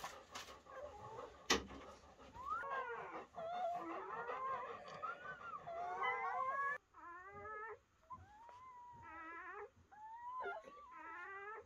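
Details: Newborn German Shepherd puppies on their first night after mother Betty gave birth to a litter of ten: faint, high, wavering squeaks and rising-falling whines overlapping, then short bursts of quavering cries, in a quiet room.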